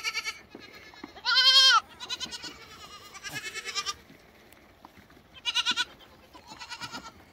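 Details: Cute lambs bleating: a short bleat, then a loud, quavering, strongly harmonic bleat, followed by softer wavering bleats and two more tremulous bleats near the end over a quiet background.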